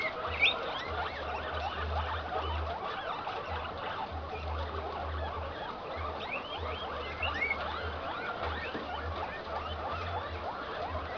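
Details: Male guinea pig of the improved Inti line, in heat, mating with an improved Peru-line female: repeated low rumbling bursts of one to two seconds beneath continuous chittering and whistled squeaks from many cage mates.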